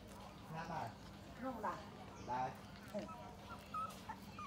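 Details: Suckling puppies whimpering and squealing, short wavering cries about once a second over a constant low hum, with faint voices in the background.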